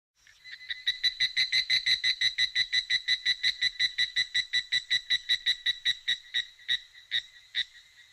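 A cicada calls in a fast run of ringing, pulsed chirps, several each second.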